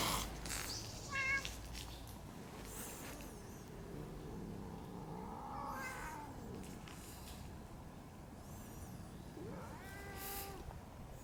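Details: Park cats in a territorial fight between an old cat family and young red tabby brothers: several short harmonic meows and wails, a sharp one early, a rising drawn-out call near the middle, a stacked wavering cry near the end, over steady outdoor hum.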